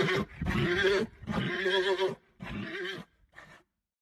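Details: Horse (Equus caballus), neigh.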